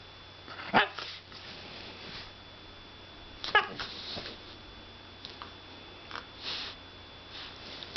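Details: Whippet barking indoors in a small room: two sharp barks a few seconds apart, followed by scattered softer huffs and snorts against a quiet background hum.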